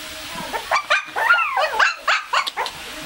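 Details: Shih Tzu puppies being fed raw food give a run of thin, wavering whimpers and sharp little yips, about four per second, while a person calls to them and coaxes them in Tagalog.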